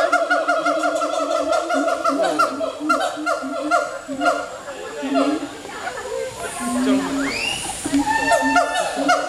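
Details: Monkeys swinging in trees at the Singapore Zoo howl together in a loud, overlapping chorus of rising and falling wails.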